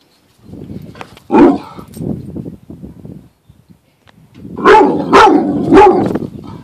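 A Rottweiler gives deep, loud barks, single at first, then a quick run of three.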